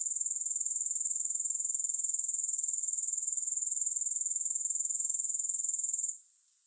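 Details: Soothing grasshopper chorus, no music added: a thin, high, rapidly pulsing buzz at roughly four beats per second that cuts off sharply near the end, leaving near silence.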